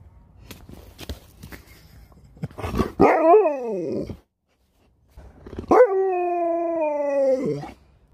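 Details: Sherpa the dog gives two drawn-out, tonal howl-like calls, the first wavering up and down for about a second, the second a steadier sustained note of nearly two seconds falling at the end, after soft tapping sounds.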